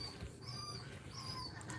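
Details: Cane Corso crying quietly as Cashmere pushes out puppies during labour; two thin, wavering whines, each sliding gently up then down, with a low constant hum underneath and a small click near the end.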